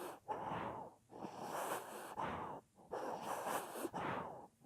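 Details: Dog fast asleep, snoring: long hoarse wheezing breaths of about a second each, separated by brief silent pauses, with a steady sleeping rhythm.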